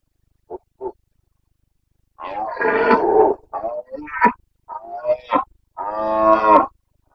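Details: Carpathian red deer stag in the Bucovina mountains during the rut (boncănit), 29 September 2022: two short grunts, then a run of hoarse, harmonic roars with one long bellow at the end.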